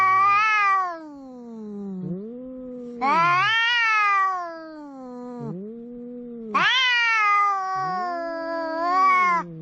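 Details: Two cats arguing at the seashore, one a big orange tabby: loud harmonic yowls about every three seconds, each answered by a lower, arching moan, the exchange steady and clear with little background noise.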